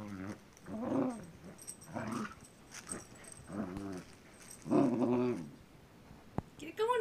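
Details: Jake, a pet dog playing with a new battery-operated toy he has come to like. Five low, throaty, wavering growl-whines arrive roughly every second, with a sharp click near the end and faint indoor background.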